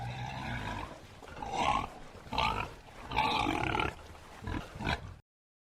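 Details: Bornean bearded pig making a series of harsh, noisy grunts, about six short bursts spread over five seconds at uneven intervals.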